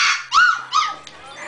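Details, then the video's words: Shiba Inu dog at home whining because it wants to be in the living room with its owners; two high arching whines, rising then falling, with a faint later squeak and a person softly saying no. "Sad Shiba"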